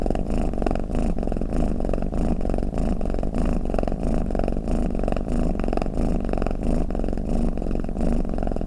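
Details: Cat snoring, played to relax other cats: long, even low-pitched purring drone with regular breathing swells about once a second, close and uninterrupted, nothing else audible.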